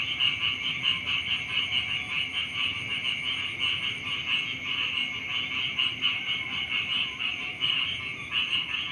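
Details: Frogs calling in the morning beside rice fields: a dense, unbroken chorus of rapid pulsing croaks with a bright, steady buzzing tone throughout, about ninety pulses a minute, over a low rural background murmur.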